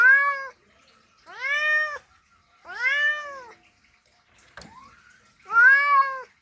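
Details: Male cat's mating call to a female: four long, arched, strongly harmonic meows, one or two seconds apart, with a brief sharp click and faint tap-like noise between the third and fourth.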